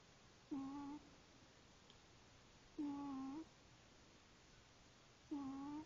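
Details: Sleeping female pet cat snoring: three brief humming, nasal snores recurring roughly every two and a half seconds, steady and even, with a hushed indoor background between them.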